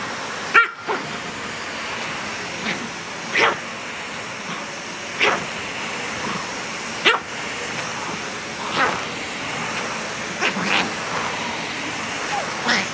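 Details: A small pet dog reacts to a vacuum cleaner running indoors. Short, sharp barks and yips come at irregular intervals, about every one to two seconds, over the steady whir of the vacuum.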